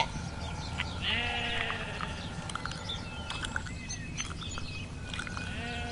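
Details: Farm sheep bleat in wavering, nasal, overlapping baas, with one long quavering call near the start, over a steady farmyard hum and faint higher chirps.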